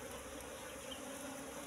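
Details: Brief, even droning of Asian honey bees (Apis cerana) from a wild nest in bushes, the colony's massed buzz holding a low steady tone.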